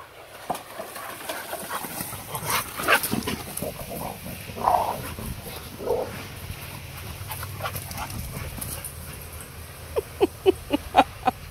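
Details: Malamute and pit bull playing together in a backyard pool area; scattered short barks and whimpering yips, a quick run of sharp barks near the end, with human voices and splashing in the background.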